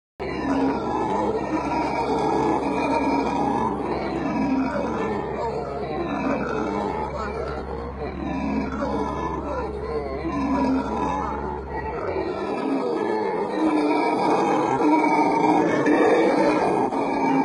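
Howler monkeys roar in a deep, rasping, continuous chorus that swells and fades in waves.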